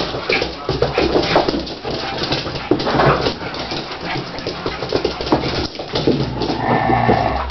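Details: Siberian Husky puppies playing indoors with Echo, a big adult Siberian Husky; scuffling play with short whining and yelping calls, a clearer drawn-out harmonic whine near the end, room noise throughout.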